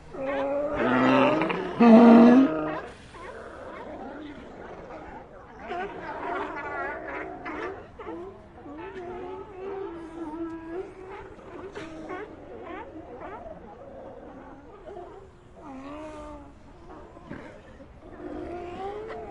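Sea lions in a colony trade loud, hoarse barks and groaning calls that overlap continuously.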